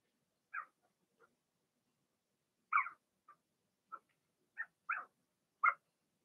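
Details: Indoor pen holding a litter of six Blenheim Cavalier King Charles Spaniel puppies, born March 7–8, during potty training; sharp, high yips and squeaks come singly or in pairs with quiet gaps between them.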